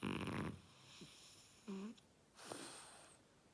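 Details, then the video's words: French Bulldog Oleg snoring loudly: a harsh rasping snore at the start, then short whistling, nasal wheezes with bending tones, and a final drawn-out hissing breath. "Французский бульдог - ХРАП."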